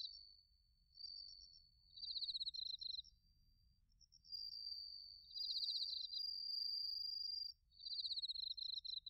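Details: Bell crickets and other crickets calling in autumn at Narita, Chiba, Japan, recorded on a TASCAM Portacapture X8: long ringing trills alternate with dense runs of high pulsed chirps, while several fainter, higher-pitched crickets tick steadily in the background.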